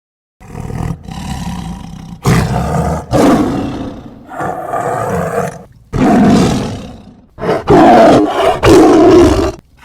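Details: Tiger roaring in loud, harsh bursts of one to two seconds, repeated about six times with short silent breaks, the later roars strongest and most ragged.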